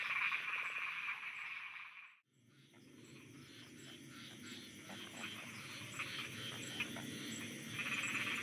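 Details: Frogs croaking at night in Thailand: a dense, continuous chorus of overlapping rapid croaks and pulses, with a steady high insect-like ticking above. The sound briefly drops to near silence after about two seconds, then the chorus swells back in.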